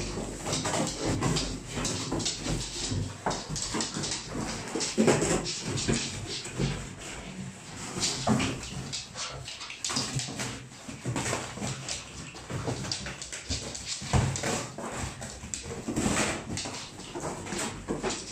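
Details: An English Bull Terrier grumbles and growls in rough, broken bursts while wrestling, with an occasional whimper.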